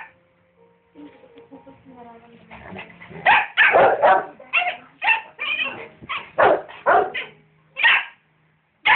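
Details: Dachshund and rottweiler barking at each other, with soft music and voices first, then a string of loud, harsh barks, some in quick doubles, separated by short gaps.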